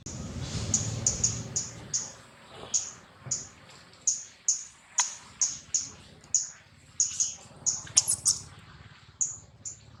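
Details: A young wild monkey, just woken and clinging to its mother, gives a rapid series of thin, very high-pitched chirping squeaks.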